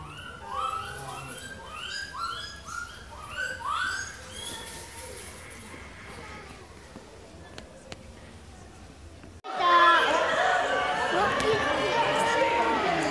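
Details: Captive lar gibbons, 20 September 2016, where a 71-day-old baby lives: clear swooping rising hoots, about six in quick series, fading out, then a loud burst of noisy chatter and crowd sound.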